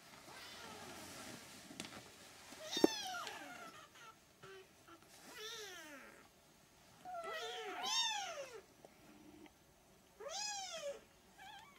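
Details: Three-week-old Siamese kittens meowing indoors: a series of high, arching, harmonic-rich mews, some rising then falling, coming in bursts with short pauses and a few overlapping calls, plus occasional soft knocks in the background.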